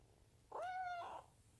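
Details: Munchkin kitten meowing as its owner strokes it indoors: one clear, tonal meow about seven tenths of a second long, level then slightly falling, with a quiet room behind.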